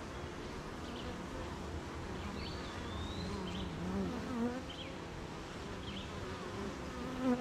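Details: Beehive of honey bees busy making honey on a rainy morning near gardens and farms: continuous low droning buzz with rain noise, while small birds chirp and whistle faintly in the background.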